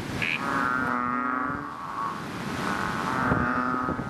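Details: Chubby frogs in a fishpond after rain: a blurred, droning chorus with one low moaning call at the start and another near the end, backed by a continuous wash of overlapping frog voices.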